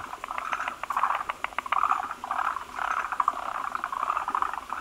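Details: Forest green tree frogs at a breeding gathering, many males converging on a large gravid female as foam egg masses are laid; quick clicking pulses mix with a sustained rattling chorus of overlapping mid-pitched calls.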